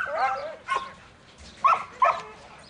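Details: Young male Border Collie named Buttons, in training as a futurity prospect, gives a few short yelping barks and whines with pauses between.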